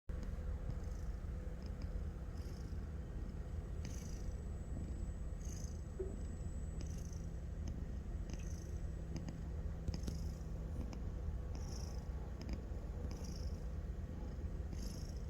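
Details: A cat in deep, sound sleep snoring: a steady low rumble underneath, with soft breathy puffs of air returning roughly every one and a half to two seconds, close and quiet.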